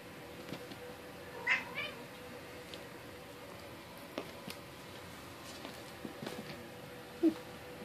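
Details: Seven-week-old Bengal kittens from a Cupcake x Dakota litter, one short high-pitched meow near the start, then quiet room with scattered soft clicks and rustles.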